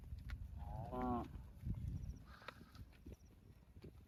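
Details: Cow giving one short, moaning moo about half a second long early on, with layered tones, followed by scattered knocks, rustling and low rumbling background noise.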